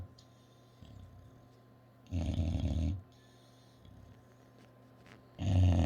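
An English bulldog snores loudly, each deep rasping breath rattling low and harsh.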